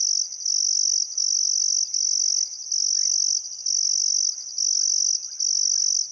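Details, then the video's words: Crickets chirping on a still summer afternoon at sunset beside the Barcoo River, Welford National Park, Outback Queensland, Australia: a continuous high shrill trill broken by brief pauses roughly every second, with faint bird calls beneath. "Australian Sunset Chirping Crickets"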